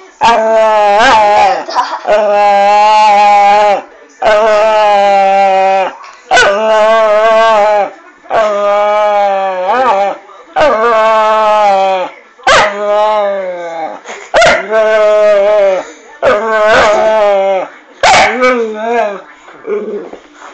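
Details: Female Staffordshire Bull Terrier pet, indoors at night, grumbling because her owner will not fuss her: a long series of moaning, talking-like whines, each one to two seconds, rising and falling in pitch, repeated with short pauses.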